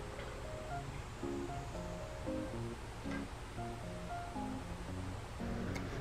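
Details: A gentle plucked-string melody plays over a soft, steady wash of background noise.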